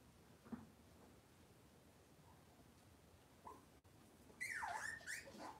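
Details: Cavalier King Charles Spaniel in an indoor kitchen on a cloudy Monday morning: faint soft squeaks, then one short high whining yelp that bends up and falls away, over light clicking room noise.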